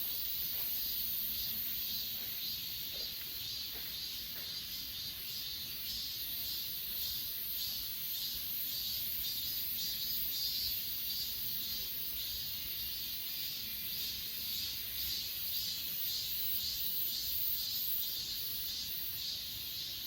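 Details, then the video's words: Insect chorus on Achasan recorded with an S20 Ultra phone: a continuous high hiss with soft rhythmic pulses close to two per second. A faint low hum runs beneath it throughout. "아차산 풀벌레소리"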